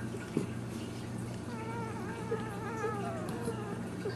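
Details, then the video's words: Ten-day-old Dachshund puppies, born July 5th 2009, give thin, wavering high whines that rise and fall from about the middle of the clip onward, over a steady low hum. "Cute Dachshund Puppies - 10 Day Old Puppies"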